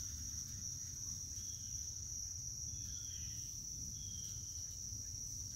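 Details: Continuous shrill cricket trill, even and unwavering at a single high pitch for the whole stretch, with low-frequency rumble underneath.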